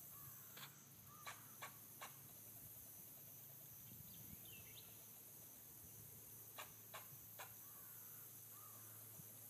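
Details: An Everglades black fox squirrel gives dry, clipped chucking notes in quick bursts of three or four, with pauses between, over a steady high insect hiss, a low hum and faint bird notes.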